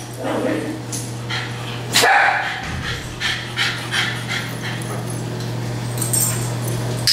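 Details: Domestic dogs barking in a group daycare setting: sharp, scattered barks and yips at irregular intervals, with a person's voice praising and calling for quiet, and a steady low electrical hum throughout.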